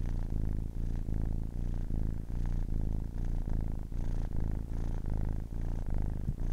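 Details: A 10-week-old kitten purring steadily indoors: a deep, rumbling low purr in rhythmic waves, each breath cycle lasting roughly half a second, with brief soft gaps between inhale and exhale.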